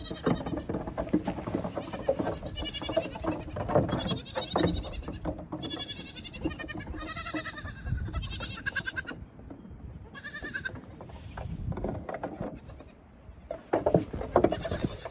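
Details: A crowd of goats at evening grain time, kids racing back and forth and jumping on things; overlapping, tremulous bleats from several animals fill the first nine seconds, then scattered calls return amid constant scuffling.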